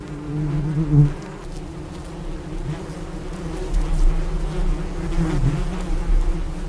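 A bee buzzes continuously in a low, droning hum with a rough harmonic edge. The tone wavers and grows louder and softer as the insect shifts closer and farther away.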